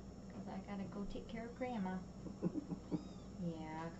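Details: Little kittens indoors, 13 May 2017: thin, high mews that arch up and fall away near the end, heard over steady human talking in a small room.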